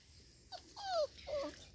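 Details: Five-week-old Labrador Retriever puppies exploring the garden; a few short, high, falling whines and squeaks from a puppy over a low steady background rumble.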